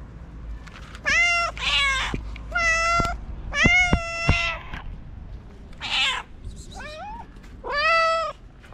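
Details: Hungry stray cats waiting for food call repeatedly. Roughly eight meows, some clear and tonal, others harsh and wavering, come from more than one cat. Short sharp taps are heard between them.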